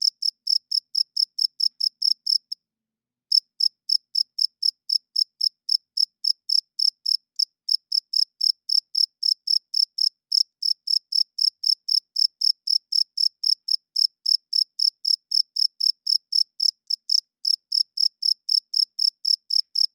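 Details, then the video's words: Twenty seconds of a cricket's loud night chirping, made by rubbing the male's wings together: a fast, unbroken train of sharp high chirps, about four a second, broken only once by a short silence early on; nothing else audible. "Cricket Chirping Sounds - Cricket klinkt 's nachts luid"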